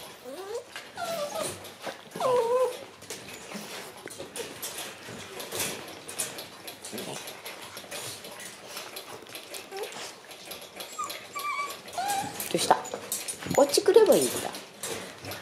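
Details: Black male Shiba Inu puppy, born December 24, gives short high whining whimpers near 2.5 seconds and again around 13 to 14 seconds, with quieter faint whines between, indoors in a small room.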